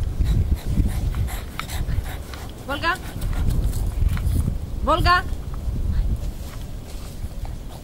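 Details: Rare-coloured Bulldog in Romania, December 2017, giving two brief rising whines near the third and fifth seconds, each sliding upward, over a steady low outdoor rumble with a person talking in Romanian.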